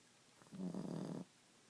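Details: A sleeping Boston Terrier named Ziggie gives one drawn-out, fluttering snore of under a second, low and rumbling, in an otherwise quiet indoor setting.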